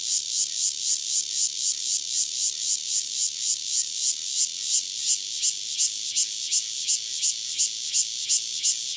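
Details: Cicada Cryptotympana takasagona, a lone insect near Dona village in Kaohsiung County, Taiwan, singing a rapid train of high, rasping buzz pulses, evenly spaced and fairly constant in loudness, slightly quickening toward the end; nothing else clearly audible.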